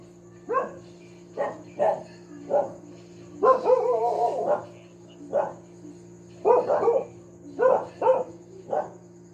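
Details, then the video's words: Barking from a pet dog, repeated about every second in short sharp woofs, with one drawn-out, wavering bark partway through, all over a faint steady hum. "tahol ng aso/dog barking/the dog sound"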